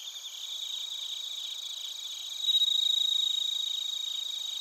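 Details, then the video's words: Bell crickets and other crickets singing in Narita, Chiba Prefecture, Japan, recorded on a TASCAM Portacapture X8: shrill rapid pulsed trills over a constant insect hum, one nearby singer rising to a loud ringing burst halfway through. "スズムシとコオロギの鳴き声 - Chirping of crickets"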